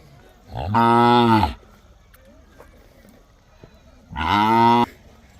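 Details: Two long, full moos about three seconds apart from Mysore/Khillar calves kept in a tethered row in Gondgaon village, Beed district, Maharashtra, each steady, rich in overtones and slightly falling at the end.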